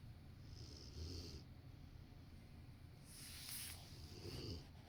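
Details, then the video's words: A large Rottweiler dozes on the sofa next to a person working. Soft airy snores with a low, throaty undertone come at uneven gaps of one to two and a half seconds against a quiet room hum. "Rottweiler taking a nap while snoring"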